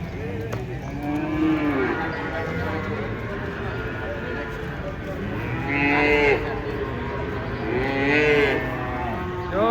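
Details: Cattle being unloaded from a truck, one cow jumping down and falling; two loud drawn-out moos rise and fall near the end, with an earlier fainter low call, while people talk and shout in the background.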